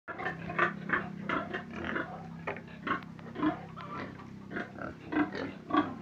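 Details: Pig giving a series of short, gruff grunts, roughly two every second, some louder and rougher than others, over a steady low hum in the background.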